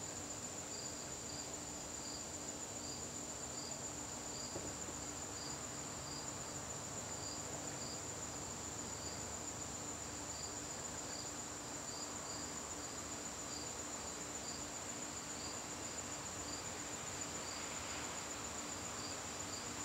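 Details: Crickets in a garden during a September evening: a constant shrill trill plus rapid, regularly repeated chirps that pause briefly midway and resume, with soft background noise throughout.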